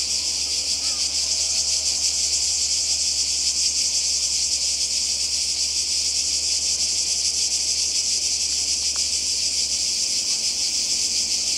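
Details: Seaside cicadas in Croatia during a 2020 summer holiday keep up an unbroken, high, sizzling buzz with subtle pulses, over a low background hum and a few faint brief sounds.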